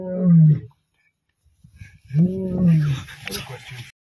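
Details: Male lions of rival coalitions fighting on 29 December 2023: a deep, falling growl, a pause, then a longer rumbling roar that trails into scuffling and hissy noise.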